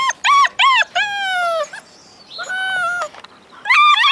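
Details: Alaskan Malamute puppies, part of a litter of eight born February 2013, howling: high tonal yips and drawn-out falling howls with bright harmonics, several short notes then longer wavering cries, pauses between.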